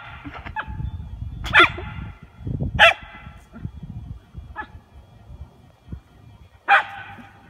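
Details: Miniature Poodle playing with bubbles, giving short sharp barks at irregular intervals, five clear ones over about seven seconds, with a person talking in Spanish and faint music in the background.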